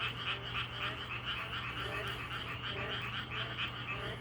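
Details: Frogs in a dense natural chorus, many overlapping croaks pulsing several times a second in a rough, rattling, mid-to-high pitched rhythm, over a steady low hum.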